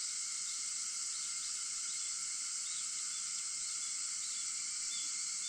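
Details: Cicadas at dawn, 4:50 a.m. on August 4, fill the air with a constant piercing hiss from many callers, layered over softer steady humming tones, with no pauses.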